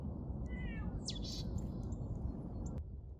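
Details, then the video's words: A plump mackerel tabby cat gives a couple of short, nasal meows, the second rising then falling, near a mountain trail at Namhansanseong, early morning, foggy and dewy, over a low outdoor rumble and a sharp click; seemingly waiting for food. "근처에서 고양이 우는 소리가 들립니다."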